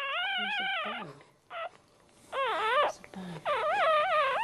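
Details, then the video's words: The first-born Dachshund puppy, a male, calls right after birth with wavering, squealing whimpers that rise and fall in pitch, broken into short bursts, while a low human voice murmurs briefly in the background. "Dachshund 1st Puppy Birth"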